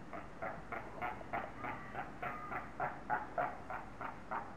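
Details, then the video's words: Seals in Zoo Augsburg, Germany, squabbling and shouting at one another, giving a fast, steady series of short rough barks, about three per second, over low background noise. "Robben beim gegenseitigen anbrüllen."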